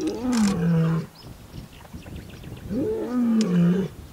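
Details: Lions roaring in Kgalagadi on a wildlife photography safari: two loud, deep moaning roars, each rising briefly then sliding down into a long low drawl, the second following about two seconds after the first.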